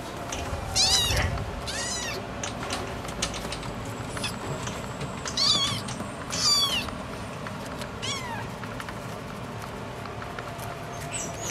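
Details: Scottish Fold cat giving about five high, thin meows, each a short rising-then-falling wail, clustered near the start and middle with brief pauses between, over a steady low background hum.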